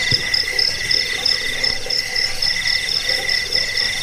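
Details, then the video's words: Cricket chirping meant to drive off rats and serve as a tutor recording for songbirds. Bright, high-pitched trills repeat in quick rhythmic pulses, layered with a lower continuous buzzing band from other insects. "Suara jangkik pengusir tikus pengantar tidur"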